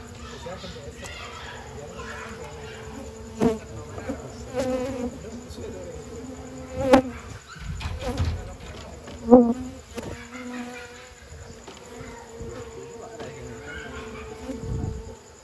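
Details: Night-time honey harvest after Lebaran, with honey bees droning as their nest is opened by amateur collectors. A continuous even hum holds steady, broken by a few knocks and bumps and occasional nearby speech.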